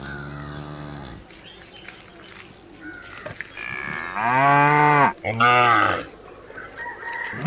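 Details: Cows filmed while eating: a low moo fades out at the start, then after a quiet stretch come two loud, deep moos in quick succession, separated by a brief gap.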